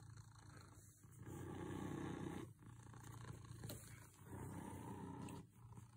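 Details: Happy cat purring steadily: a gravelly low vibration that rises and falls in strength, with loud stretches broken by short dips every couple of seconds.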